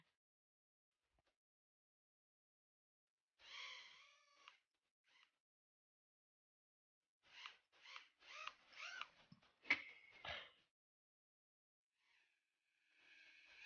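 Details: Louis, a Shih Tzu puppy, playing with a toy helicopter: short high-pitched yaps and whines in a burst around four seconds, then a quick run of five or six yelps, with a thin higher whine at the end.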